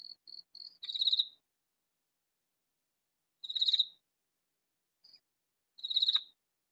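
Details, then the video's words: Katydid calling loudly in a vegetable garden; three harsh rasping bursts spaced about two and a half seconds apart, the first preceded by short soft ticks, otherwise quiet. "Katydid calling in vegetable garden"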